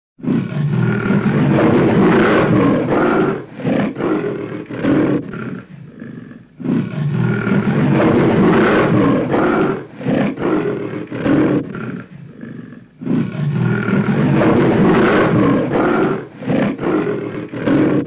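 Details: Tiger growling in a muffled recording: long, deep, rough rumbling growls lasting several seconds each, broken by short choppy pulses, the pattern repeating about three times.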